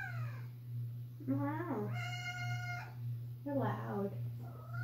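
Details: Pet cat meowing very loudly inside a home, wanting company to go downstairs; several meows including one long, level, sustained cry, mixed with a person's voice and a continuous low hum.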